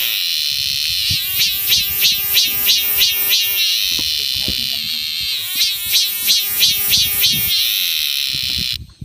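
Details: A cicada on the Mutianyu section of the Great Wall of China, north of Beijing, gives a shrill, steady buzz that swells into pulsing phrases, about three pulses a second.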